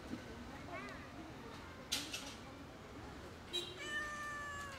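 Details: Rescued sick, skinny stray kitten meowing: a faint short wavering meow early on, then a longer, steady, high-pitched meow with rich overtones near the end, with soft clicks and handling noises between.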